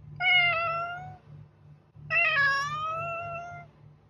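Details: Domestic cat meowing: two long, drawn-out meows with clear harmonic tones, the first steady and level, the second starting higher then gliding down and holding, with a low hum underneath.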